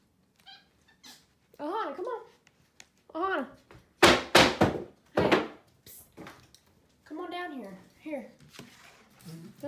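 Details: Pet capuchin monkeys MonkeyXander and Ohana eat oatmeal in bed one Sunday morning. Arched, whining squeaks rise and fall in short bursts, mixed with loud rustles and a person's voice nearby.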